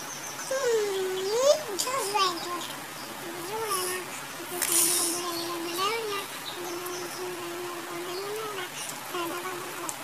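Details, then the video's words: Kitten meowing in a long run of drawn-out, high, steady mews, each with a slight rise and fall at the end, coming roughly every two seconds, with a sharp swooping cry near the start and faint room noise. "Funny Cats and Kittens Meowing Compilation"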